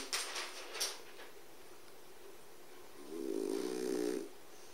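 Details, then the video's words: French Bulldog Busuke sound asleep in front of a wood stove: a single drawn-out, buzzy, nasal snore lasting about a second near the end, after a few soft clicks and thumps. "誰？ このいびき ！！"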